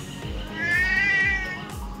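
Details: Pet Siamese cat meowing indoors while its owner answers that there is no food: one long, rising then falling meow in the middle, set against background music with a steady thumping beat.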